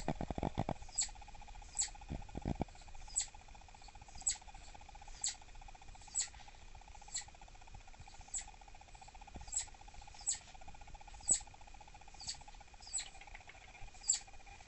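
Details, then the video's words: Southern flying squirrel Dahan, a captive female believed pregnant and aggressive toward cage-mates, chirps in annoyance: thin, very high calls repeated roughly every second, with some rustling and handling noise early on and a constant low hum. "미국남부날다람쥐 짜증났을 때 울음패턴"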